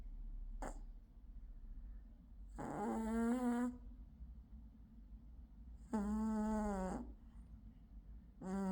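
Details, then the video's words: Gold male British Shorthair cat asleep and snoring loudly indoors: steady, buzzing tonal snores about a second long, returning every three seconds or so, over a faint low constant hum. "Cat Snores Loudly"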